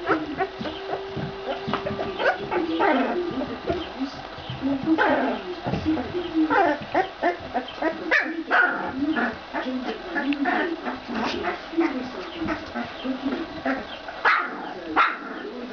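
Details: Litter of Ca de Bou puppies, 14 days old, whimpering and squeaking in short, irregular high bursts over a continuous low grumbling, with people talking in the background.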